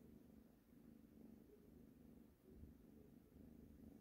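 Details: Cat purring while kneading on a blanket indoors: a low, continuous rumbling purr with steady, slightly pulsing rhythm throughout, no other clear sounds.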